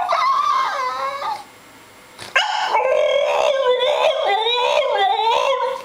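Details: Seven-month-old male French Bulldog 'talking', upset about not getting enough treats: a wavering, howl-like moan, a short pause, then loud, continuous yodelling whines rising and falling in pitch until the end.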